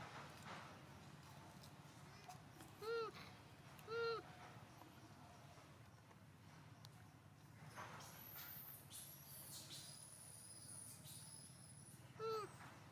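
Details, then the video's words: Little monkey Hulk, a baby, crying sadly while his mother Arina tries to comfort him and give him milk: three short, arched, tonal whimpering cries, two close together, then one after a long pause, over steady background hiss and faint rustling. "Little Monkey Hulk cries so sadly Mama Monkey ARINA tried to comfort him and give him milk"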